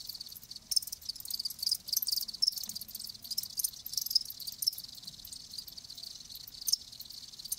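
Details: Live crickets chirping: a soft, high, shimmering chorus of overlapping chirps with scattered louder pulses and no steady rhythm. A faint low murmur sits underneath.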